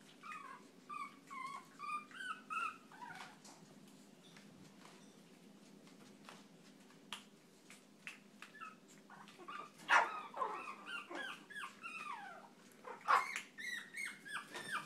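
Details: Chihuahua with wavering high whines early on, then a quiet stretch, then a renewed burst of sharp yapping barks and rising whines near the end.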